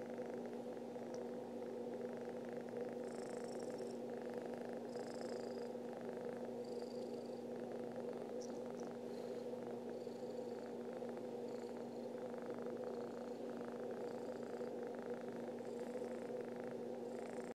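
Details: Happy pet cat purring beside its owner to wake them up, an unbroken, steady low rumble lasting the whole stretch, with short faint high chirping sounds repeating in the background every second or two.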